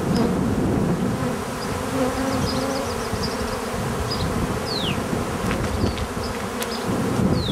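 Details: Buzzing bees form a constant droning hum, with falling whistled bird calls and short chirps scattered over the top.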